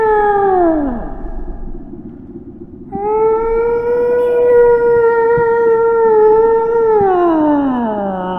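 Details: Whale call: a long moan with stacked harmonics slides downward, then after a short gap a steady, level tone holds for about four seconds before falling away, over a soft low rumble.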